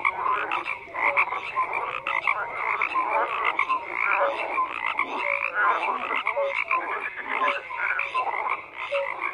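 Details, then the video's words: Frogs in large numbers call together, layered croaking pulses and short clear notes repeating in a busy, constant chorus without other sounds. "FROGS CROAKING"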